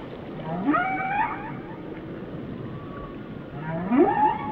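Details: Two upward-swooping whale cries about three seconds apart, each starting low and rising into a wavering wail, separated by a faint hissing undersea background.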